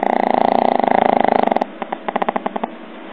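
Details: Pug snoring: a loud, steady, buzzing rattle of rapid pulses lasts about a second and a half, then breaks into a few separate, softer snorting clicks.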